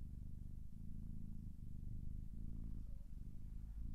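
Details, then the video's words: Cat purring steadily, a deep buzzing rumble that rises and falls with each breath, with short gaps between cycles and a faint high squeak near the end. "Sounds of Cat's Purring"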